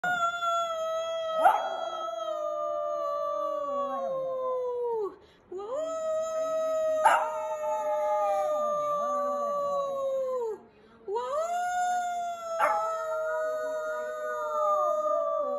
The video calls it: Ultimate Shih Tzu Howling compilation